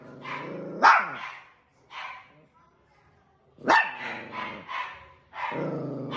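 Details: Domestic dog scuffling with another dog: snarling growl erupting into a sharp bark, short grumbles, then a burst of harsh barks and a rising snarl at the end.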